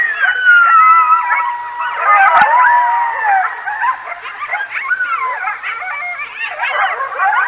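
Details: Several coyotes howl loudly near a stream at night, about 10:37 p.m. CST on 9 November 2022 at Decorah, waking roosting bald eagles. Long wavering sirens overlap and break into yips and rising, falling yodels.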